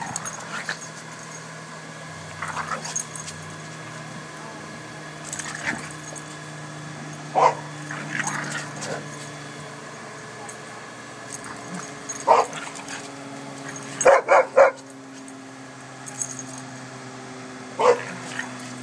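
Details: Boston Terrier at a doggie daycare making awful-sounding noises while playing with other dogs; short harsh grunting bursts every few seconds, a louder cluster near fifteen seconds, over a steady low hum.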